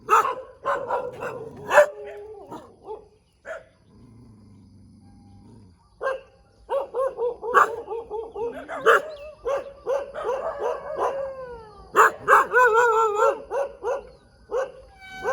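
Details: Morning barking from a dog in the middle of a road. Rapid barks mix with drawn-out whining yelps. A low hum fills a quiet gap near the fourth second, then loud, excited barking resumes.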